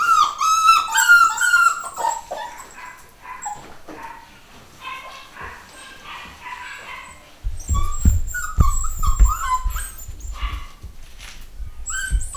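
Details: Litter of nine-week-old pedigree Miniature Dachshund puppies, home bred, giving high whining whimpers and short yips, some rising and falling, with scuffling and thumping handling noises in the second half.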